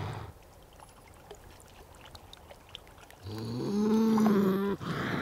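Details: Beaver giving a long nasal whine: after quiet rustling, a low tone rises into a sustained, slightly wavering, harmonic-rich cry lasting over a second, ending abruptly; steady background hiss throughout.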